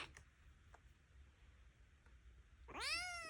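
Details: Noisy foster kitten complaining indoors: after a stretch of quiet room noise with faint taps, one loud meow begins, rising sharply then arching and falling.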